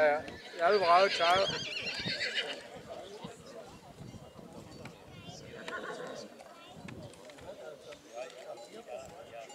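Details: Loud, tremulous neigh of a Black Forest draught horse opens this stretch from the 11 August 2022 foal show at St. Märgen, Germany; a fainter answering whinny follows midway amid murmuring voices.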